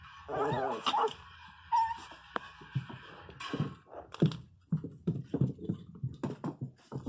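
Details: Pinscher puppy crying very loudly indoors: a wavering, quavering whimper that rises and falls, followed by a run of short, irregular yips and snuffling sounds in a small room.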